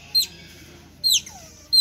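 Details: Hungry otters at Lembang Park and Zoo, several animals calling insistently; three sharp, high squeaks sliding downward in pitch, spaced roughly one second apart, with a quiet background.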